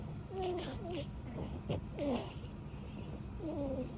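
A French Bulldog makes short, wavering whine-like grumbles that rise and fall, almost like talking.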